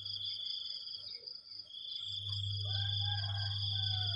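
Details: Morning crickets: a steady, high, ringing insect trill runs throughout, its upper band faintly pulsing, over a low droning hum that swells in the second half.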